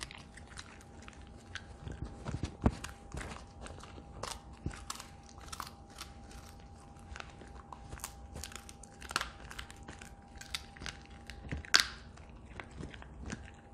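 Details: Ha-Roong, a two-year-old female Italian Greyhound, gnaws a duck neck bone, her favourite food: sharp irregular crunches and bony cracks, with louder snaps near the start and end, over a faint steady background hum.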